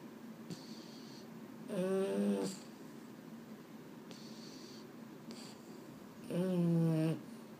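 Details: A sleepless Boston Terrier at bedtime, one of two males, Mambo and Cub, lets out two steady, low, buzzy moans, each under a second long, spaced about four seconds apart over a hushed background.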